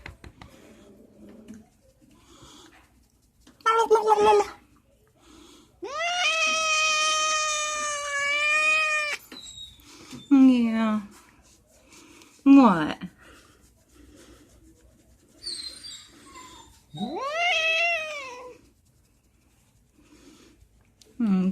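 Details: Pet cat indoors making loud, drawn-out yowling meows while being scratched: long harmonic wails lasting several seconds, shorter rising and falling mews between them, separated by quiet pauses, with a few faint human voices.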